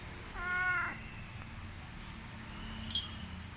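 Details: Orange village cat Boy, a pet in Indonesia, utters a single short meow, followed by silence and a sharp click near the end.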